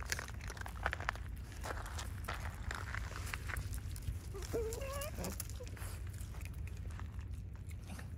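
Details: Raccoon dog (tanuki) at night, giving a single brief rising whine with stacked harmonics midway through, between soft rustling and crunching footstep-like sounds on the ground.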